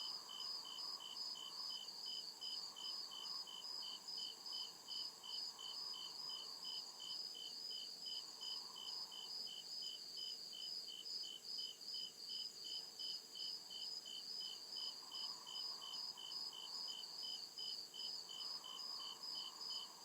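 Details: Woodland crickets at night keep up a long, even run of high chirps, about two and a half per second, layered over a constant ringing trill, while a softer lower buzz swells and fades in patches.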